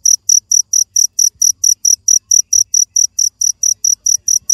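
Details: A cricket gives a run of sharp, high-pitched chirps, each a short buzzy pulse, spaced evenly at roughly two per second against a near-silent background.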